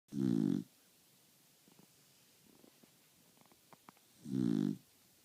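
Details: A dog asleep, snoring very loudly: two deep, rasping snores about four seconds apart, with faint soft rustles and clicks in the quiet between them.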